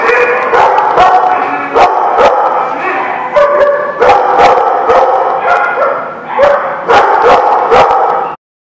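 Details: Group of dogs barking, recorded January 20, 2017: repeated sharp barks and higher yips in quick bursts, several per second, over a steady background of other barking, with loud clicks, ending abruptly.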